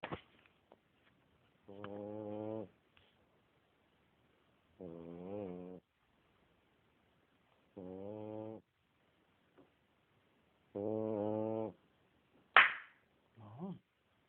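A French Bulldog snores steadily, each low, buzzy, rattling breath lasting about a second and returning roughly every three seconds. Near the end comes a sharp click and a brief murmur from a person.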